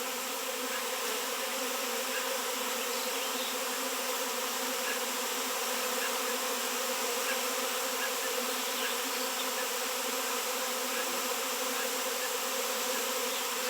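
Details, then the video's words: Honey bees swarming around a raw 7 lb chunk of shungite, the first seen locally in years: an unbroken, loud droning roar of many wings, steady in level and rich in high, hissing tones. "Shungite honey bees swarm"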